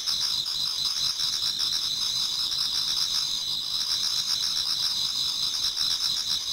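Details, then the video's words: Garden insects in Japan singing in autumn as dawn approaches: many callers merge into a continuous high, shimmering trill, evenly loud throughout, with no other distinct sounds. "Autumn Insects voice Towards dawn"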